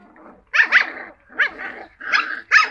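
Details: Cocker Spaniel puppies giving four or five short, high yelping barks in quick bursts about half a second apart, each burst sharp and nasal, with quiet gaps between.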